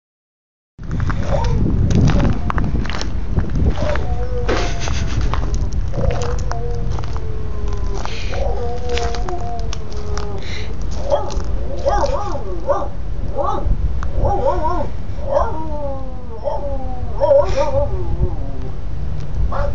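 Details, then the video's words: Dog featured among funny dog sounds, giving a run of short, nasal whining and yelping notes, some sliding downward, growing more frequent and clustered in the second half, over a constant low rumbling background. "Funny dog sounds"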